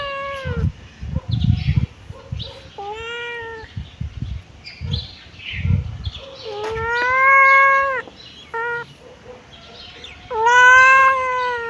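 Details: Loud, clear kitten meows, long and slightly wavering, about eight calls with short chirps between, plus soft low thumps and rustling.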